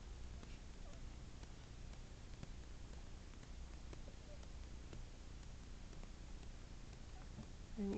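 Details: Eleven-day-old Shetland Sheepdog puppies, eyes still shut, wobbling and tunneling under a blanket indoors on 4/10/2012; faint scattered high squeaks over a steady low hum, ending in a louder short whimpering squeal.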